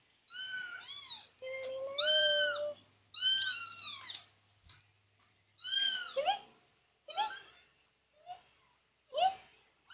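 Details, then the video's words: Persian kitten chattering while it tags along after its owner indoors; quieter meows, some high and arched, others shorter and lower, over a faint low hum. "Anak kucing persia cerewet+ngekor truss"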